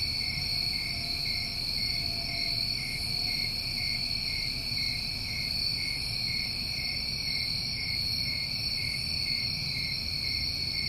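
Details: Continuous high trilling from many crickets on a New England summer recording, evenly sustained and unbroken, with faint soft pulses higher up.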